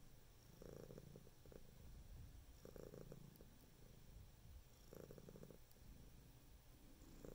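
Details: Cat purring softly, a faint low rumble with swells recurring about every two seconds, partly buried in a steady background hiss.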